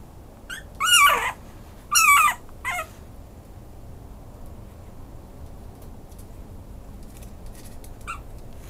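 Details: A Maltese-Chihuahua cross yips and whimpers in a quick cluster of three high, falling cries within two seconds, then goes mostly quiet with one faint squeak near the end.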